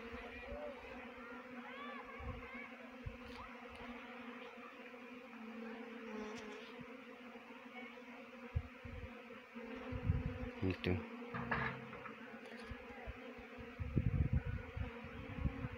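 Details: Honey bee swarm being trapped in Uttarakhand: a steady, droning hum of many bees with layered low tones, broken by occasional knocks and handling thumps toward the end.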